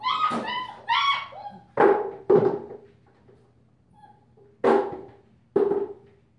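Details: A 5-week-old female German Shepherd pup with a purple collar lets out two arched whining yelps, then several sharp thumping knocks sound indoors, with faint whimpers between them.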